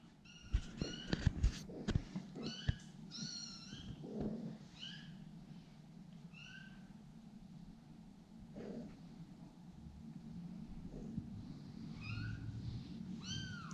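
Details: Kittens give a string of short, high, thin mews. Each one rises and falls, and some come in quick pairs. They scatter across the recording over a steady low indoor hum, with soft handling noises and a woman's coaxing voice nearby.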